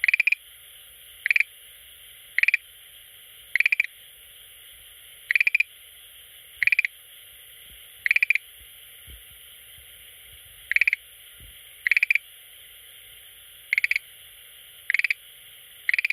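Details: Schlegel's green tree frog that comes daily to an aquarium, calling: brief rattling bursts of a few quick pulses, repeated at uneven gaps of one to two seconds against constant high background hiss.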